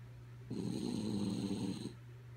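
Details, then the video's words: Kaya Boo the dog, fast asleep, produces one loud buzzing snore of about a second and a half, gravelly and vibrating, set against a continuous low hum. "Sleepy Kaya Boo Snoring"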